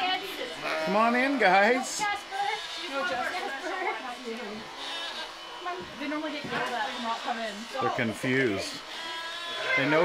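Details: Domestic sheep on a small farm, gathered into a pen for spring shearing as the weather warms. Several wavering, quavering bleats overlap and repeat irregularly, with people calling the animals and the buzz of electric shears.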